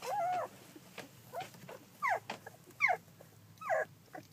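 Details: Collie puppies at fourteen days old, recorded 9 July 2012, let out four or five squeaky whimpers, each a brief falling or wavering whine about a second apart, with faint rustling between them.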